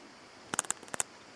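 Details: Handsome Cross Grasshopper (Oedaleus decorus) on Cres, Croatia, 27 July 2023: a brief half-second burst of sharp, dry clicks, about eight in quick succession, set against a quiet hiss.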